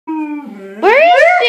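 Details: Two Siberian Huskies sing while helping search for the other dogs, one giving a long, steady howl that breaks into a louder, wavering, rising yowl.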